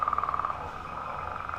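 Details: Leopard frogs chorus in a marsh in early spring, possibly at Killbuck Marsh: a rapid, rattling run of pulsed notes in a mid-pitched band, then a steadier snoring drone of overlapping callers.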